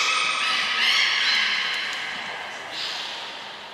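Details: Captive belugas Nana, Mirai and Niko during training at Port of Nagoya Public Aquarium, 22 May 2022, give a continuous band of bright harmonic squeals and warbles, fading toward the end in an echoing room.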